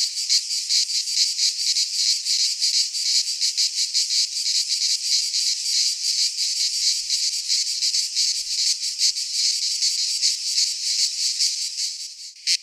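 A cicada's loud, buzzing drone, steady and dense with a fast pulsing texture.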